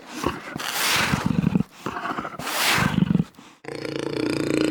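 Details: Jaguar giving rough, rasping grunts in two bursts of rapid low pulses, each burst about a second long, followed by a steadier droning noise.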